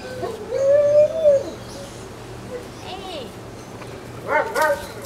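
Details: A 26-day-old Alaskan Malamute puppy from Ciqala's litter, September 2009: one long, steady, high whine that bends downward, a softer short whimper, then a brief cluster of yelping cries, with murmured voices behind.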